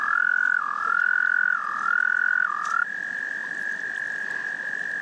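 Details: Love song of frogs: a loud high trill dips in pitch roughly every second for three seconds, then settles into a steady, slightly quieter unbroken trill.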